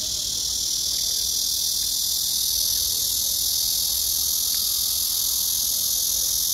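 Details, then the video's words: Black cicada singing on 31 August 2024: a loud, unbroken, steady buzzing drone held high in pitch for the whole stretch, with no other clear sounds. "말매미 울음소리"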